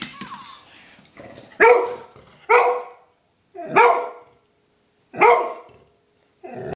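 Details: Excited indoor barking from Scotty, a 7.5-year-old female golden retriever stirred up by a mouse; four loud, even barks roughly a second apart, followed by the start of another.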